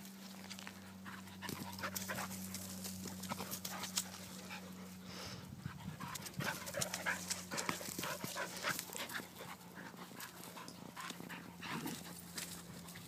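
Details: A Yorkie takes on two Wheaten Terriers in boisterous play: continuous panting, snuffling and scrabbling, busiest around the middle, with a constant low hum underneath.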